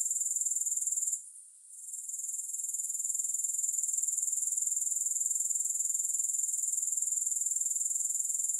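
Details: High, shimmering grasshopper trill pulsing about four times a second, dropping out briefly near the start and then resuming steadily, with no music.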